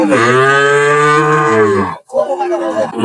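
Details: Sahiwal bull calf at a busy cattle market in Dhaka on 10 June 2025. A long, steady, low moo holds an even droning tone for almost two seconds and then stops abruptly. Men bargaining over prices follow right after.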